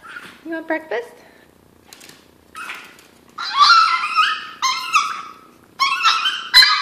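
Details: A hungry pet Chihuahua cries before breakfast indoors, as it does before every meal: a few short whimpers, then loud, drawn-out, high harmonic wails in bursts, mixed with a person's talk in a small room.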